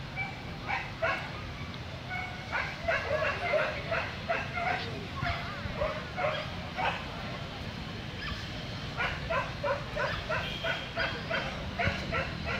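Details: Corgi at a dog show in Vietnam giving runs of short, sharp yapping barks, several in quick succession with brief pauses between bursts, over steady crowd chatter and hall noise.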